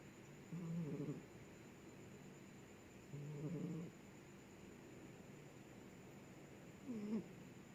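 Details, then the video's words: Snoring cat heard as low, buzzy breath sounds, two longer rasping snores about two and a half seconds apart, then a shorter one near the end, over a quiet steady hiss. "suara kucing ngorok"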